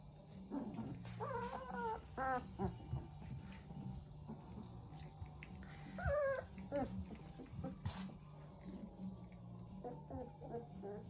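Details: Three-week-old Central Asian Shepherd Dog puppies from a litter in Oregon whine repeatedly, with high wavering whimpers rising and falling in short bursts across the stretch, over a steady low hum and a soft voice.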